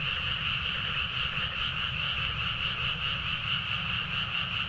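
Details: Dense frog chorus at midnight in rice paddies at Nagaoka, Niigata, Japan, captured with a Zoom H4n: a continuous wall of overlapping croaks in two high bands, pulsing about twice a second, over a low rumbling background.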